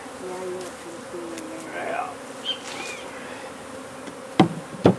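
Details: Honey bee colony under a wood pile in McAllen, Texas, during hive removal: a steady, low droning hum throughout, with a brief human voice early on, a few faint high chirps, and two sharp knocks near the end.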